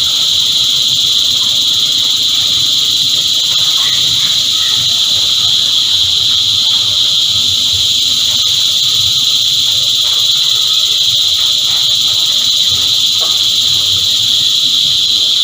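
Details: A chorus of cicadas makes a steady, unbroken high buzzing drone with no pauses. The whine stays level and loud for the whole stretch, and faint low rumbling sits underneath.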